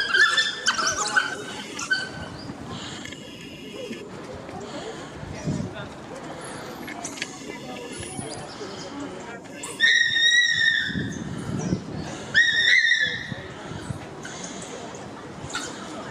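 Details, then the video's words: Six male painted wolves (African wild dogs) in a pack at London Zoo during a dominance display. High, squealing twitter bursts with stacked overtones open the recording, then return in two loud clusters near the end over a low background murmur. "Dominance Display & Vocalizations among pack of Painted Wolves (African wild dogs, lycaon pictus)"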